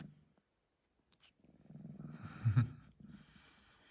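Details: A 3-month-old male Sphynx cat, just after a nap, purrs in a soft, low, steady rumble close by, swelling midway into a brief louder, breathy burst while yawning, then settling back to the quiet purr.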